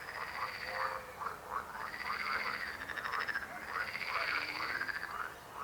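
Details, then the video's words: A dense frog chorus of croaks with rising, arched calls repeating about twice a second, overlaid by sustained high buzzing trills that come and go. "Rechot żab. Croaking frog sound."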